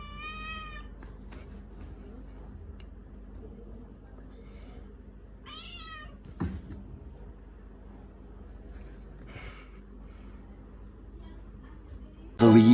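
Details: Domestic cat described as aggressive and biting a hand, giving short harmonic meows at the start and again near the middle, with fainter wavering cries later, over a low steady hum; a sudden loud rustle closes it.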